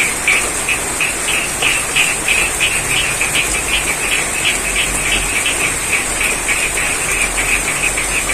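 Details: Rain-soaked rice paddy in Pacitan, East Java, with frogs croaking in short rapid pulses, about three per second, over dense broadband rain hiss and a constant shrill high band.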